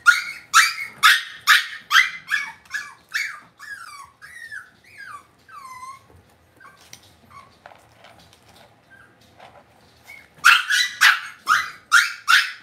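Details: Cavalier King Charles Spaniel puppies kept in an indoor pen: a rapid series of sharp, high yapping barks about twice a second, a stretch of falling whimpers and quieter sounds, then another burst of yaps.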